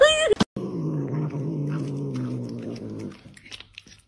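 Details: Domestic cat, addressed as a kitten, opening with a brief high meow, then a low, steady, droning growl held for about three seconds before fading, with light indoor rustling afterwards.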